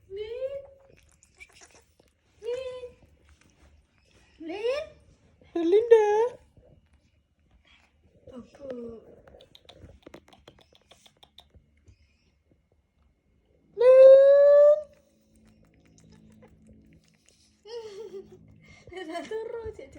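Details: Young monkey seeking a hug from a boy makes a series of short rising squeaks and whimpers, then a long loud tonal squeal near the end, with faint voices and occasional rustling.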